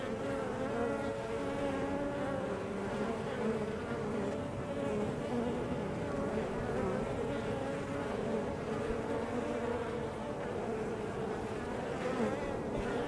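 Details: Crowded hive entrance of honey bees giving a thick, unbroken buzzing drone, several pitched hum layers wavering as bees come and go, fairly even loudness throughout.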